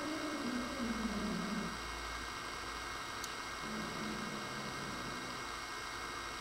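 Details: Nigel, a pet dog, growls at his new toy, which he thinks is alive; a low, rumbling growl slowly sinks in pitch over nearly two seconds, then a second shorter growl follows over a steady indoor hum.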